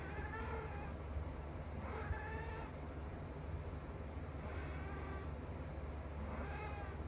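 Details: British Shorthair cats, blue and lilac, mating; drawn-out wavering yowls repeated about every two seconds.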